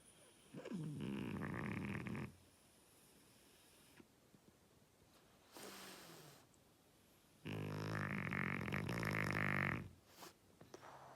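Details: Snoring French Bulldog Oleg: a harsh, rumbling snore, a long silent gap, a shorter snuffling breath, then another drawn-out, gravelly snore near the end.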